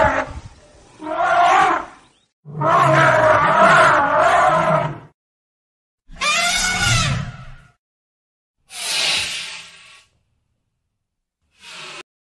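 An elephant gives loud, harsh, roaring calls in separate bursts with short silences between.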